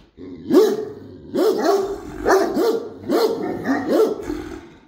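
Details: A Great Dane indoors gives a run of loud, rough barks, about one every second.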